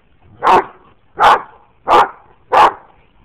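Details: Play-wrestling dogs, an Anatolian Shepherd, a Great Dane and a Boxer, among them Daisy: four strong, evenly spaced barks, each loud and broad, arriving a little under one per second.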